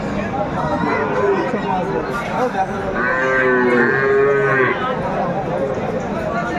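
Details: Sahiwal bull calves at Aftabganj cattle market, Bangladesh, 7 May 2024: a long, steady, tonal moo rises mid-clip and holds for nearly two seconds over constant crowd chatter and bargaining voices.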